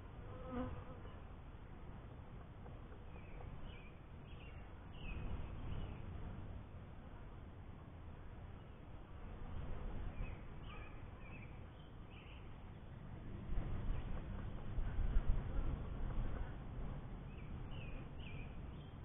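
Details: Low, steady droning of honey bees around a beekeeper's first hive, growing louder near the end, with scattered faint bird calls overhead.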